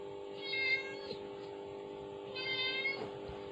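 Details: Kittens hear a phone playing a mother cat's call; two fairly soft, thin meows separated by over a second, each level then trailing off, set against a persistent low hum.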